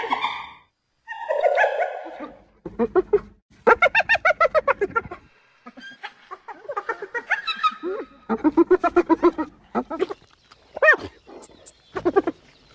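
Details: Spotted hyenas give rapid, staccato giggling bursts, the laugh-like call, mixed with rising and falling whoops, calls that carry far and keep the group in touch.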